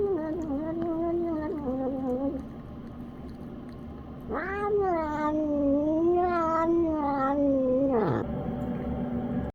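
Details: Senior cat called Grandma Grumpy Cat, a special guest cat, making funny noises while eating Purina Fancy Feast Beef Pate senior 7+ food for dinner. Drawn-out wavering moaning tones, a shorter one first, then a long rising-and-falling call that cuts off sharply.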